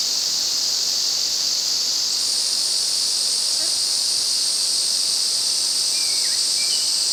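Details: Ezo cicadas in a massed midsummer chorus in August, Afan Woodland, Shinanomachi, Nagano, Japan: a dense, unbroken hiss-like drone that steps slightly higher after two seconds, with faint bird chirps near the end.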